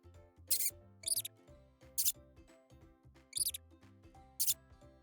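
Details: Mouse giving brief, shrill, high squeaks in five separate bursts at uneven intervals, some doubled, heard against calm instrumental music playing throughout.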